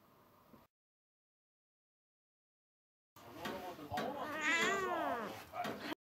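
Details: Domestic cat, male, scared yet curious while watching a car being washed; after a brief faint noise and three seconds of silence, a drawn-out wavering meow with rich harmonics rises and falls over about three seconds, ending abruptly.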